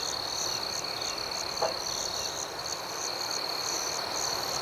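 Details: Night crickets sustain a thin high trill with regular rhythmic pulses, slightly softer overall, with one short click partway through.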